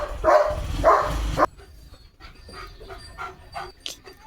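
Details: Leo, a pet German Shepherd, excited over a chicken chips treat being unboxed: three loud, full barks about half a second apart, then a quieter stretch of soft yips and whimpers with a woman talking nearby.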